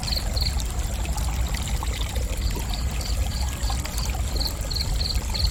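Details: Cricket chirping in short, high-pitched pulsed bursts at a steady rhythm, roughly three per second, over a loud constant rush of flowing water.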